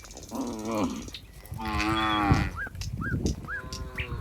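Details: Cows walking together in a group toward their pen moo in low, drawn-out, harmonic calls, one after another, with short high squeaks between.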